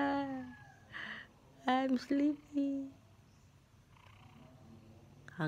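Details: Himalayan cat, hungry in the early morning and waking its owner, gives several short tonal meows, some rising then falling, with a low purr running beneath and a person speaking at the end.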